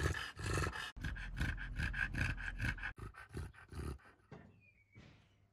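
An English Bulldog breathes in rapid, noisy snorting pants, about two or three every second.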